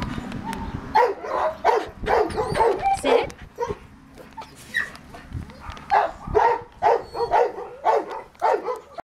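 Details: American Cocker Spaniel up for adoption, giving repeated rough barks about twice a second in two bursts separated by a quieter stretch, with faint background noise.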